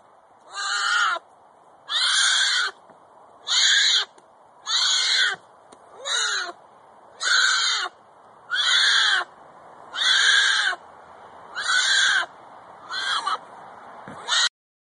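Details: A Florida black bear cub bawls in distress, calling for protection from its mother, with harsh wailing cries repeated about every second and a half.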